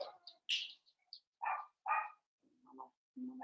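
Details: Blenheim Cavalier King Charles Spaniel puppies at play with their mother in a puppy pen: a run of short high yips and squeaks, then two fuller barks and low growly grumbles.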